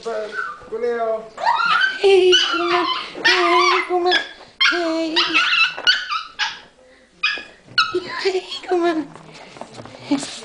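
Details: Pet dog very happy to see its owner, giving excited high whines and yips, rising and falling, in quick uneven bursts with a few short barks, while a person talks encouragingly over it.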